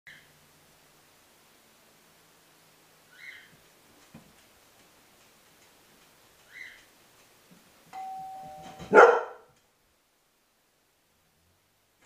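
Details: A Groenendael Belgian Shepherd, alone indoors on a hidden camera, gives a single loud, harsh bark just after the doorbell tone rings.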